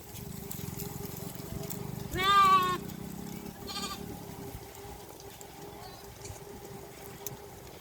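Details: A domestic sheep (Ovis aries) from a village flock grazing in a dry riverbed gives a high, quavering bleat, then a shorter second bleat over a low hum.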